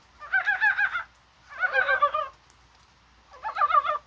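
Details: Mountain frogs in rain on a warm January day, thought to be spawning; three separate bouts of fast, bubbling, wavering croaks, each roughly a second long, split by brief silences.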